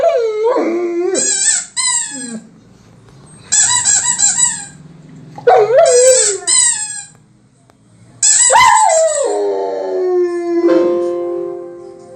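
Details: A male German Shepherd "sings", howling in drawn, wavering tones along with the sharp, high squeaks of a squeaky toy.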